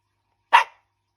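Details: Shiba Inu at home, a single short sharp bark after a person asks where daddy is.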